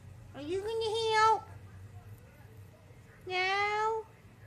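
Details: Remy, a pet cat indoors, meowing at his owner after coming in from outside to ask her onto the balcony: two clear, tonal meows about a second long, the first slightly rising, separated by a two-second pause.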